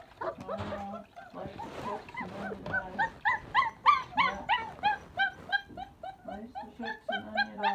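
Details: Three complaining puppies wanting out of their enclosure after exploring the house; overlapping high whines, yips and squeals in quick succession, with some lower murmurs beneath.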